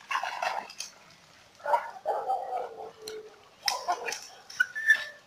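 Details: Two German hunting terriers on a walk. Drawn-out whimpering whines come in several separate bursts, some wavering and sliding downward, with a thin whistle-like note near the end.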